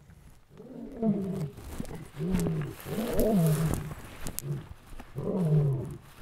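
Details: Two captive lions, in a good mood and excited during a walk, give deep, moaning roars, each falling in pitch and repeated every couple of seconds.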